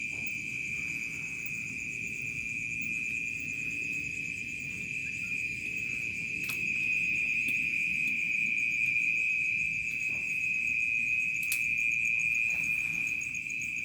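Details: Night-time crickets in a remote village produce a loud, steady high trill with rhythmic pulsed chirping above it, broken by two sharp clicks, over a quiet low rumble.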